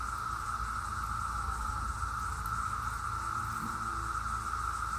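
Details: 17-year periodical cicadas flying, their massed calling forming a steady, unbroken droning whine at one even pitch throughout, over a soft low rumble.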